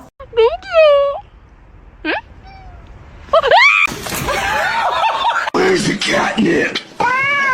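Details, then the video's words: Domestic cats in a funny compilation; a rising-falling harmonic meow opens, then short meows follow, with a person speaking and music-like noise dominating the second half before another meow at the end. "cats meowing"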